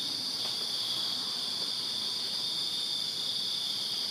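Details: Crickets chirping in a backyard on a summer night in Virginia, a dense continuous high-pitched trill with steady bands near the top of the range, many insects blending into one unbroken chorus, a few faint clicks underneath.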